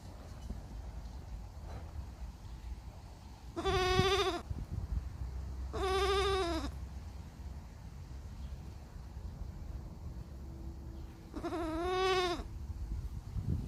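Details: Baby goats bleating: three tremulous, quavering bleats, each roughly a second long, spaced a few seconds apart over steady low background rumble.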